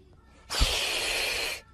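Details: A scared pet cat in a funny cat compilation lets out one sharp, breathy hiss lasting about a second, harsh and airy, then falls quiet.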